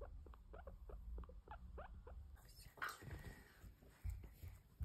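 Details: Baby guinea pig giving a quick run of short, soft squeaky chirps, about six in two seconds, then rustling and handling noise under a faint steady hum.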